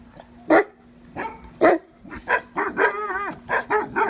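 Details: Dog backstage at a dog show of exotic breeds, giving loud separate barks about once a second, some with a whining, wavering pitch, against a steady low hum.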